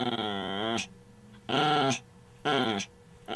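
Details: A female Chihuahua growls in three rough, wavering bursts during tug-of-war play, a long one then two shorter ones about a second apart, with a faint steady hum between them.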